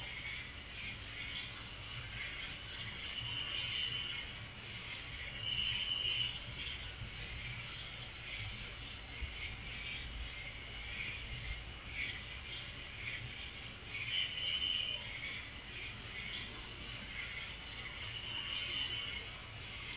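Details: Cricket at night giving a long, even, high-pitched trill without pause, faintly pulsing, with softer secondary chirps recurring every few seconds over a quiet background.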